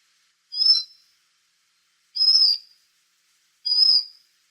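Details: Otter giving three piercing high whistles, each about half a second long, roughly every one and a half seconds.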